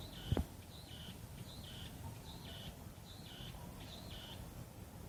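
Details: Meimuna opalifera calling on a South Korean wooded hill near a home, 24 July 2016. The same two-part buzzy phrase recurs roughly every second, with a brief knock near the start and faint low background noise.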